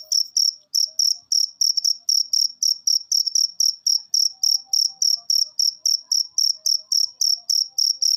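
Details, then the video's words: Cricket recording used as a masteran to make lazy cage birds sing more often; loud high-pitched chirps repeated steadily, about three or four per second, with faint soft tones underneath. "Masteran Jangkrik Ini Bikin Burung Peliharaan Anda Gacor"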